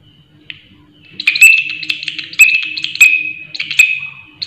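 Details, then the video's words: Grasshopper giving a loud, shrill call: a steady high-pitched buzz that swells into pulsing, rasping bursts in waves, with a faint low hum underneath. "Belalang Suara Nyaring"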